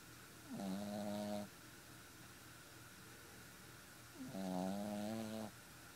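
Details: Four-month-old Boston Terrier puppy asleep and snoring, giving two nasal, buzzing, tonal snores about a second long, spaced nearly four seconds apart, with quiet background hiss between them.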